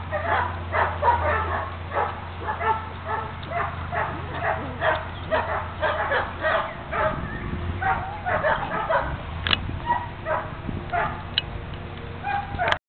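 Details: Litter of solid black German Shepherd puppies keeps up a busy chorus of short yips, whimpers and squeals for over twelve seconds, with a couple of sharp clicks late on.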